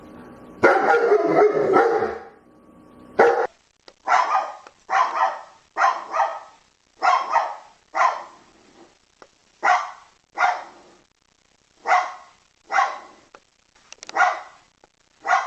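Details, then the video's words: Dog barking while begging: a long, loud, harsh bark-whine opens, then short sharp barks repeat roughly once a second. "SOUND OF DOG BAGGING BARKING DOG"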